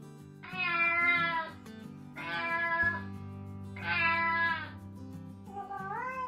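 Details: Domestic cat meowing three times, about every one and a half seconds. Each meow is clear, drawn-out and slightly falling, and a fourth, rising meow begins at the end, all over gentle background music.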